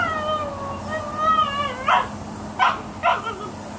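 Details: Female Boxer dog playing by herself, sounding as if attacked: a long wavering high whine, then three short harsh grunting barks spaced about half a second apart.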